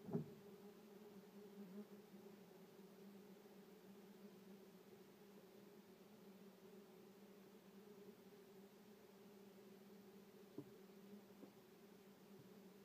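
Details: Common wasps (Vespula vulgaris) at a nest in a shed drawer, disturbed. A steady, low, droning buzz holds throughout, with a few faint knocks near the start and around ten seconds in, heard indoors.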